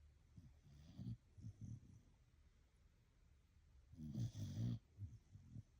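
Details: Blue Heeler dog asleep and snoring: short low rumbling breaths in small clusters, then a louder, rougher snore a few seconds later, over a faint steady background hum.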